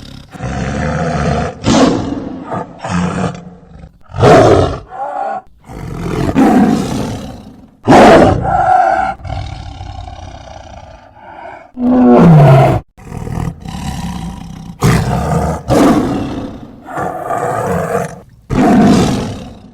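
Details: A tiger gives a long run of roars and growls, heavy, throaty bursts coming irregularly roughly every second or two, some short and coughing, others drawn out, with a brief tonal moaning note near the middle.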